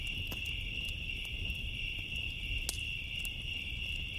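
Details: Crickets on a summer night give a steady, high, shimmering trill that never breaks, while a bonfire crackles with sharp scattered pops over a low rumbling fire roar.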